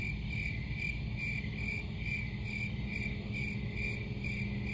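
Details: Cricket chirps pulsing evenly, a high bright trill repeated about twice a second above a steady deep background hum.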